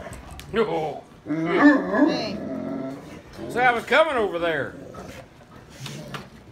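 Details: A male Great Dane, recently grown very vocal and loud, barks at a girl in deep, drawn-out barks that rise and fall like grumbling howls.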